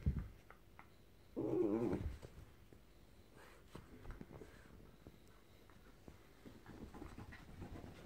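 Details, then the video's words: Jack Russell Terrier Frankie with his teddy; one short, strained whining growl, then quiet panting and rustling indoors. "Jack Russell Making Cute Noises & Thrashing Teddy"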